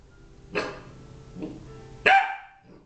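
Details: Thirteen-week-old puppy, meeting another dog for the first time, barks three times: a yappy bark, a softer short one, then a loud, high, sharp bark, with quiet room sounds between.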